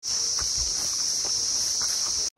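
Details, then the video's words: Crickets calling all around in dense, shaded jungle near Ecopulse camp in Kurseong, Darjeeling, North Bengal, with birds also calling; a steady, shrill high-pitched trill runs unbroken, with soft footsteps on the trail beneath it. "চারিদিকে ঝিঝি পোকার ডাক, পাখি ডাকছে, জাস্ট আওয়াজ শোনো।"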